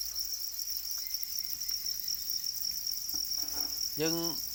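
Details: Farmed black crickets, known too as Para crickets, raised as domesticated insects, give a constant piercing high trill from many callers at once; light rustling mid-way and a brief spoken voice near the end.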